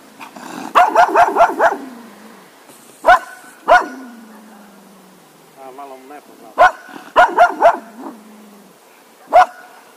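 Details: Cocker Spaniel dog barking in short bursts of three to five sharp barks, with longer pauses between volleys and a low whining growl trailing after some bursts.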